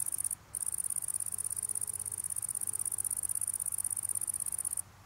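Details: Italian tree cricket seen close up during its evening meal, giving a rapid, high pulsed trill of evenly spaced buzzy pulses that starts after a short pause and cuts off near the end.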